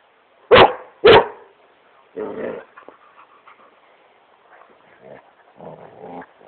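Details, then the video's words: Great Pyrenees having fun on his couch indoors: two sharp barks in quick succession, then a lower growly bark followed by soft grumbling and snuffling. "Great Pyrenees smokey barking at couch"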